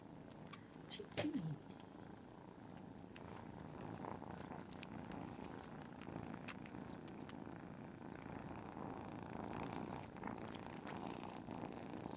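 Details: Several cats purring together indoors, a continuous low rumbling purr throughout with a brief louder sound near the start and faint clicks and rustles over the top.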